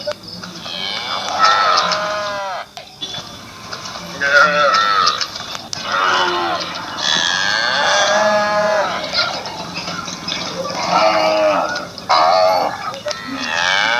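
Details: Assam cattle in a village, giving repeated mooing calls about every few seconds, each a rich harmonic low that bends up and down in pitch, some short and some drawn out, with faint rural background noise.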